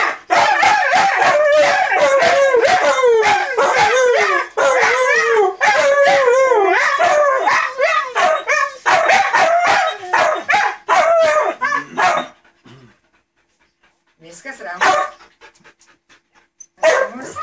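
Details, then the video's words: Siberian Huskies vocalizing back and forth as if in conversation: dense, rapid yodeling howls and yips with sliding pitch for about twelve seconds, then near quiet with a few scattered calls toward the end. "Talking husky's."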